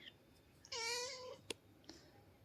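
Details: A cat's single clear meow, rich and harmonic, holding a steady pitch for about half a second before fading. A sharp click and a fainter tap follow in an otherwise quiet room.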